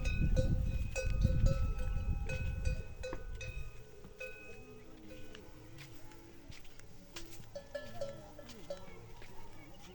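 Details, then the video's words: Camel crying loudly, a deep rough rumbling roar that fills the first three to four seconds, then fades to quieter murmuring, with steady ringing bell tones throughout. "Camel making funny Noise | Camel Noise | Camel sound | Camel Crying loudly"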